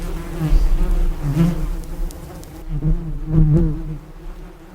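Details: Close, loud bee buzz, a deep vibrating hum that repeatedly swells and fades as the insect flies near and away, several strong passes in quick succession.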